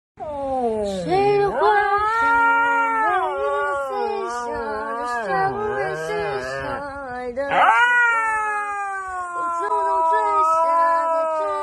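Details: Scolded pet Siberian Husky protesting dramatically: long, wobbling howls that slide up and down in pitch, with a sharp rising cry near the end, and a woman's voice briefly audible.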